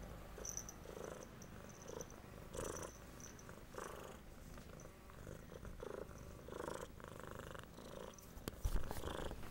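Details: A pet cat purrs while receiving medicine, with a low continuous rumble broken into breathy bursts about every second. A faint high tone and a sharp click near the end can also be heard.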